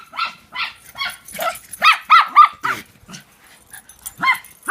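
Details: Three pet dogs, two housemates and a relative's dog, chase each other playing follow the leader, giving a quick run of high, yelping barks, roughly ten sharp bursts in under five seconds with brief gaps between them.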